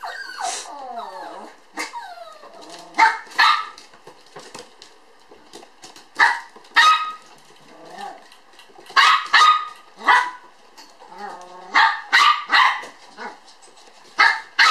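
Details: Two toy poodle sister puppies born on July 9, playing lively at a breeder in Ōtsu, Japan: sharp high yapping barks in loose bursts, with a few whiny, sliding yelps early on, roughly nineteen barks a minute.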